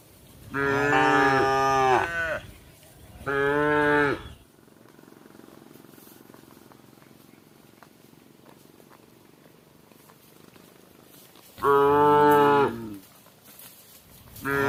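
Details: Cattle herd feeding together before night, one cow calling the herd: two harsh moos at the start, a long quiet stretch with faint low murmuring, then another loud moo and the start of a fourth near the end.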